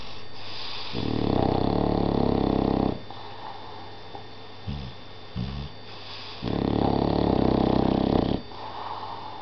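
An English Bulldog snores with deep, rasping breaths, each lasting about two seconds, and small snorts between them.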